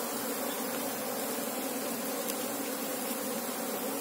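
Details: Asian honey bees, Apis cerana, while beekeepers look for the queen: an unbroken, uniform buzzing drone of the massed colony, steady in pitch and loudness.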